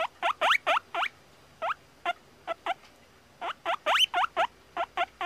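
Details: Guinea pig squeaking: short, sharp, upward-sweeping squeaks in quick bursts of two to four, with brief pauses between bursts, about twenty squeaks in five seconds, over a quiet background.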